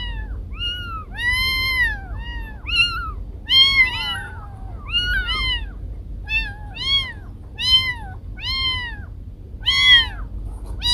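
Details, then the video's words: Kiko and Koko, household cats, in a compiled recording: a rapid run of about fifteen meows, many overlapping, each an arched, bright, harmonic cry, some ending in a falling slur, over steady low background noise. "Cat sounds to scare mice away"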